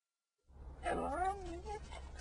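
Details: Four little corgis "sing Happy Birthday"; a short, wavering howl rises and then slides down in pitch.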